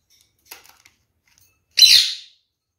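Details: Captive kakariki parrot from a pair: a few faint soft clicks, then one strong harsh screech lasting about half a second and tailing away, with nothing else heard around it.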